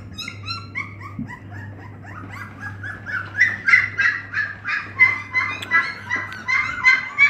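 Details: Dogue de Bordeaux puppies whimpering: thin, high whines that start soft and grow louder and more frequent, overlapping yelps and squeals from several pups, over a steady low hum.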